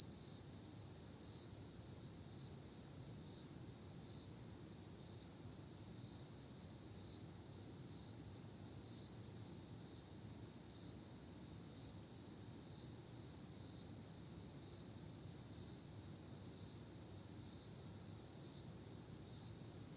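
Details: Autumn night insect chorus forming a sustained high, ringing trill with subtle regular pulsing, steady for the whole stretch over a soft low background rumble.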